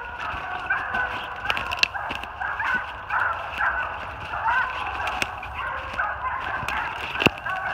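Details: Far-away Treeing Walker Coonhounds, a spotted bitch with two males, one with a chop and one with a long bawl, baying treed on a den in New Jersey; rhythmic repeated barks overlap in a continuous chorus, punctuated by nearby taps.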